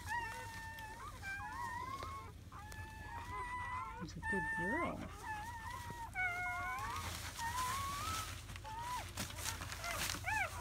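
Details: German Shepherd puppies only hours old, a litter of seven born in May 2017, making softer rising and falling whines and squeaks over a steady background hiss, with a burst of broadband noise near the end.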